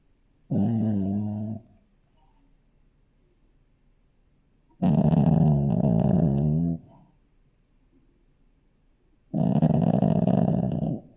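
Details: Snores from a sleeping Shih Tzu puppy. Three deep, rattling, drawn-out breaths are spaced about four seconds apart, each about one to two seconds long, with near silence in between.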